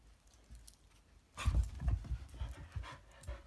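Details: A Belgian Shepherd pants in rapid, low, breathy bursts while trying to get a Maine Coon kitten to play; irregular puffs and soft thumps indoors.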